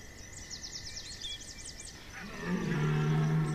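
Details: Red deer stag bellowing during the September 2021 rut at Chambord: thin, rapid insect-like chirps fill the first two seconds, then a deep, drawn-out harmonic roar swells in and holds loud to the end.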